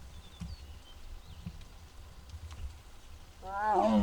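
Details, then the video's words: Strange sounds from Muguk, a six-year-old tiger in the Bonghwa Tiger Forest, filmed on an April 2026 afternoon. After quiet background noise and thin bird chirps, one loud, rich, harmonic call rises abruptly at the very end. "무궁이 아프다? 알코올 먹고? 이상한 소리들"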